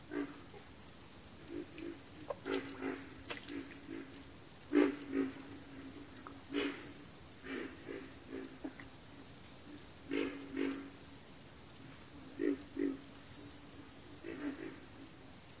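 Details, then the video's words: Backwater frog chorus of low, hoarse grunts scattered irregularly, sometimes paired, set against a persistent high, rhythmically pulsing insect trill that carries over the whole recording. "FROGS - Pig Frogs, Water Frogs, Backwater Chorus, & Frog Chorus"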